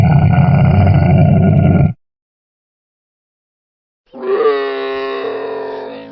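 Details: Camel roaring: a deep, rumbling bellow ends abruptly, followed after a pause by a higher, tonal, moaning cry with a slight rising start that then holds steady and fades slowly.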